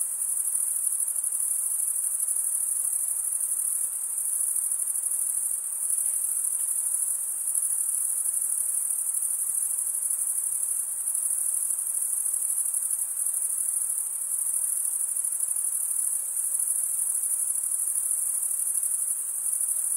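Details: Crickets, chirping males, rubbing the top of one wing along the toothed vein beneath the other; a dense, unbroken high-pitched trill holds steady for the whole stretch, with no other sounds.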